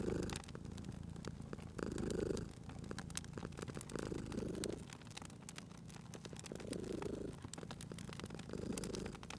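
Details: Sleeping domestic cat purring beside a crackling fireplace: a low, rumbling purr swelling and fading in breaths about every two seconds, with sharp pops and snaps of burning wood throughout.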